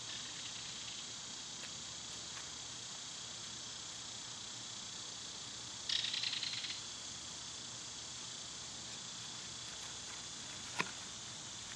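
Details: Summer cicada chorus as a continuous high shrill buzz. Just before the midpoint, a brief pulsed burst of rapid ticks rises above it, and a single sharp click comes near the end.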